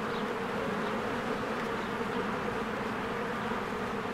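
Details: Honeybees in spring flying in and out of their hive among blooming flowers; a dense, steady low buzzing hum fills the clip, with faint high chirps of birds now and then.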